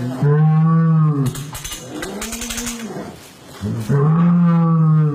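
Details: A cow during calving in the West lets out two loud, very low, drawn-out moos, one at the start and one at the end, separated by clattering and knocking noises.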